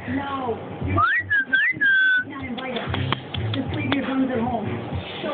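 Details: A Boston Terrier puppy "talking" to its owner: a loud run of whiny, yodelling tones that sweep up and down and wobble, then quieter whimpers while a woman's voice keeps talking softly.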